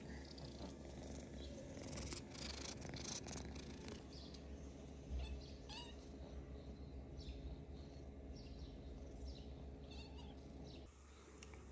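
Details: Pet cat in Cambodia, resting indoors during hot weather, purring in a steady low continuous rumble for about eleven seconds, with faint household clicks and scattered higher rustles over the top.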